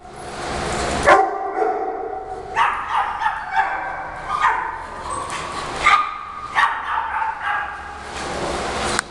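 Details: Shih Tzu dogs at home, Heidi guarding newcomer Frida from the rest of the pack in a playful fight; sharp harmonic barks and yips in bursts, several dogs barking at one another.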